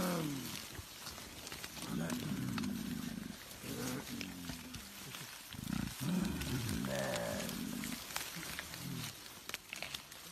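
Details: Silverback mountain gorilla in Rwanda vocalizing to tell its family to move up the hill: repeated low, harmonic grunting bursts, some sliding in pitch, over about ten seconds, with rustling vegetation and human voices nearby.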